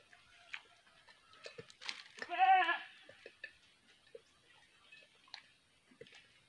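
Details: Goats being sold, one giving a single quavering, wavering bleat of about half a second midway, rich in harmonics, set among scattered clicks, taps and faint knocking sounds.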